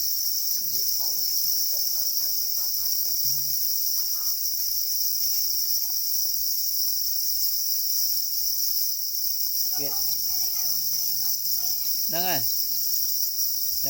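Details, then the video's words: Black cricket, or para cricket, reportedly angry and guarding its eggs; continuous piercing high trill holds level for the whole stretch while a person talks intermittently in the background. "Black crickets or para crickets are crying angrily for their eggs"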